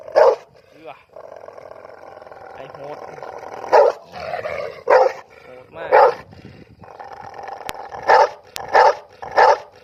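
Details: A dog barking loudly, with short, harsh bursts at irregular gaps that cluster into a faster run of four barks near the end, over a constant droning background.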